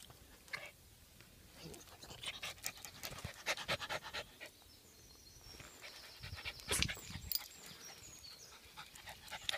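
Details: Jack Russell Terrier walking in the countryside; rapid, breathy, noisy panting in quick bursts throughout, with rustling and a few faint high whistled tones in the background.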